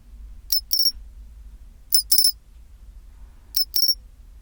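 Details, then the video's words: Pine cricket singing its chinchirorin song at 24°C: three pairs of bright, high, metallic chirps spaced about 1.5 seconds apart, each pair a quick double ring, over a faint low rumble. "チンチロリン Sound of pine cricket"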